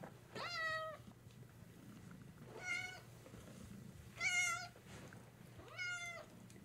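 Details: Pet cat indoors at home meows four times in a row, short bright calls roughly every one and a half to two seconds, over a faint steady background hum.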